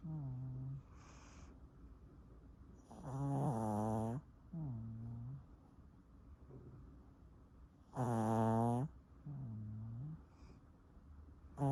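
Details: Pomeranian named Sunoama, a small dog likened to a little old man, snoring loudly indoors: harsh rattling inhaled snores about every four to five seconds, each followed by a softer, lower wheezing exhale.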